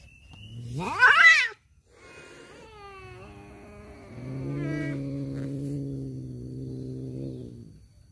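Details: Domestic tomcats fighting over a female: a loud rising screech near the start, a short silence, then wavering mid-pitched yowls settling into a long, low, sustained harmonic growl that fades out.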